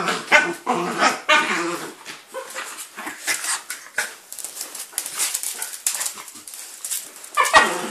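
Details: Two four-year-old dogs on Christmas morning, 25 December 2012, opening their presents: Fudge, a male miniature Jack Russell, and Foxy, a Jack Russell-Chihuahua cross. Short sharp barks and whimpers, with rustling wrapping paper throughout.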